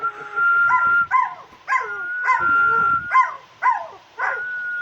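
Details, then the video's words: Pet dog singing along to a person's whistling: a steady, high whistled tone runs through while the dog gives short, wavering yelping howls that bend downward, about eight in five seconds, alternating with the whistle. "Собака поёт под свист"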